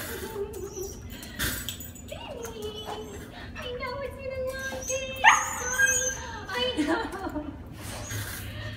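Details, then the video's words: Pet Husky named Princeton greeting his people after being collected from a plane flight: drawn-out wavering whines with rich harmonics, rising and falling, one sharp high yelp-like peak midway, over overlapping human voices and handling noises. "Picking up our Husky after a plane flight"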